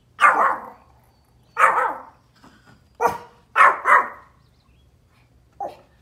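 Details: A Pomeranian barks repeatedly outdoors, apparently at deer, with short, bright, yappy barks, some in quick doubled pairs about a second apart, over a low steady hum.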